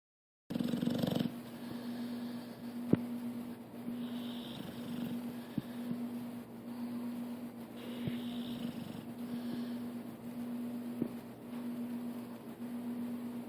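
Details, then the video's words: Pit bull sleeping and dreaming on a couch, snoring: a steady low rasping drone in repeated breaths about every one to two seconds, with occasional soft clicks. "My snoring, dreaming pit bull."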